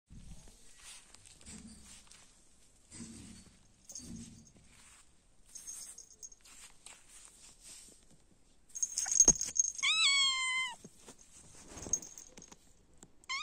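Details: Cats outdoors in warm, sunny weather; after quiet rustling and faint scuffs, a high, thin meow around the tenth second, bending downward and held about a second, then a brief second cry at the very end.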